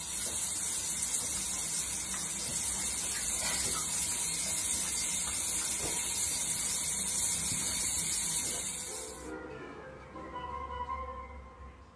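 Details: Steady hissing spray like running water fills most of the stretch, then stops abruptly, leaving faint background sounds and no animal call.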